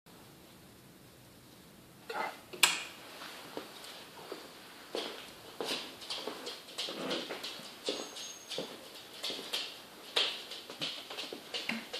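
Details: No animal voice is heard, only soft crunching footsteps and scuffing in snow over quiet background hiss.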